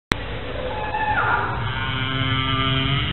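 A whale gives a tonal, harmonic moan that slides downward, then settles into a long steady drone.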